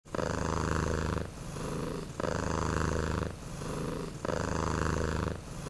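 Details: Kitten sleeping on a sofa in autumn, purring steadily in a deep rumbling rhythm, each long purr broken by a short pause roughly every two seconds, close and clear.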